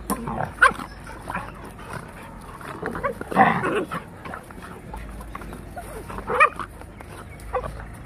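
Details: A Labrador puppy and a Rottweiler fighting: short rough growling and barking bursts, with louder snarls near three and six seconds over a steady low hum.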